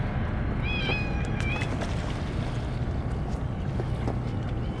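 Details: Two brief, bright meows in quick succession from stray cats gathered for a churu feeding, followed by clicks and shuffling over a steady low hum.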